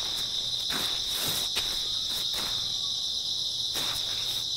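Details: Shrill continuous chirring from grass insects, early autumn night, with a few scattered footsteps breaking the steady insect drone.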